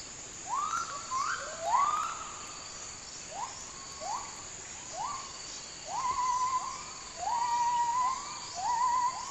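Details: White and black gibbons (Hylobates) howl in rainforest in north Malaysia (Kedah/Perlis), with a series of rising, swooping whoops that overlap and quaver over a steady insect hum.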